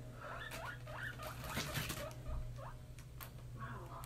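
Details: Young domestic guinea pig, about three months old, content in a newly expanded cage, giving several brief rising squeaks at about half-second intervals. Loud rustling and pattering of movement in the cage, with a low steady hum, partly cover them.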